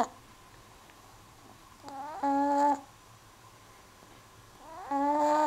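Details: Perdita, a cat, snoring: whistling, nasal snores with stacked harmonics, each lasting well under a second and rising slightly at the start, returning about every two and a half seconds with quiet breathing between.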